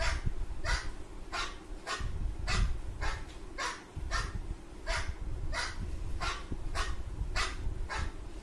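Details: A Golden Retriever puppy reacting to dog barking; a steady series of sharp, loud barks, roughly one every two-thirds of a second.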